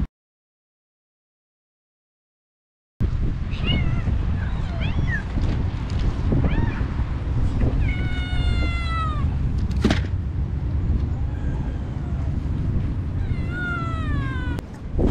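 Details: Motherless kittens found on the street and brought home, being fed wet cat food, excited at their carer. After three seconds of silence, several high, falling, harmonic meows recur, some drawn out, over a steady low rumble and scattered clicks.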